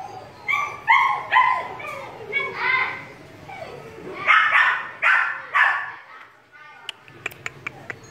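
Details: A 2.5-month-old female German Shepherd puppy gives a run of high, tonal yips and whines, followed by a few sharp clicks.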